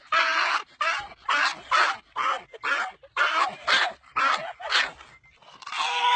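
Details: Dog making a funny pig-like noise: a rapid string of short, harsh, raspy squealing bursts, roughly two per second and uneven in length, ending in a longer rough squeal.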